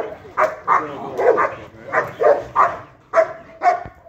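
A Rottweiler gives a run of short, gruff barks in defence.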